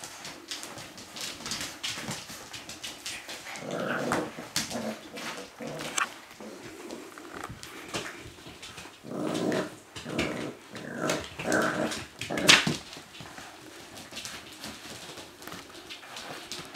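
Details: Siberian Husky puppies, six weeks old, from Kodah's litter, with scattered whimpers and short growly vocal bursts between frequent clicking, scratching and shuffling noises.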